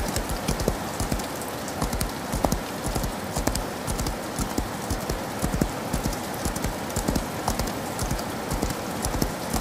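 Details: Rhythmic clip-clop of a galloping horse in the rain, crisp hoof knocks repeating quickly and fairly regularly, with continuous rain patter underneath.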